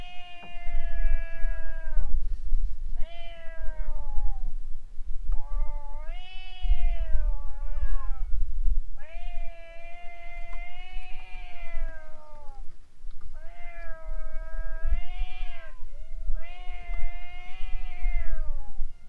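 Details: Stray cats in a standoff before a boat, then running off: a long series of drawn-out caterwauls, each sustained a second or more, some dipping and rising, with brief pauses between, constant low hum.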